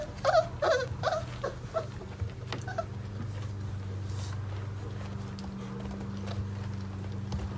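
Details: Mastiff puppies, four weeks old, from a litter of eight, stirring awake: several short squeaky whines in the first three seconds, fading into a constant low hum and soft movement noises.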